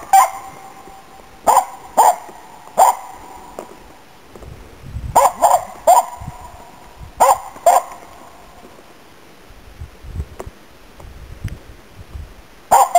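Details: Finnish Spitz named Nella barking while hunting waterfowl and game birds in autumn 2010 in Inari, Finland; sharp, ringing barks come in short bursts of two or three, with pauses of a second or more between bursts.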